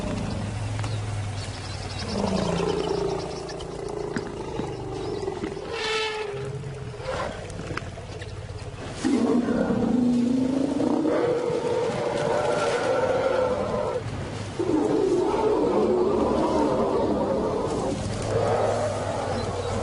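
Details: Lion roaring in a wildlife documentary: a series of deep, drawn-out moaning roars and grunts, several rising then falling, spread across about twenty seconds over a steady low rumble of background noise.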